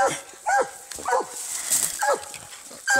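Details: Treeing Walker Coonhound in a fight with a raccoon, giving a few sharp, downward-sweeping barks about half a second apart over a hissing background.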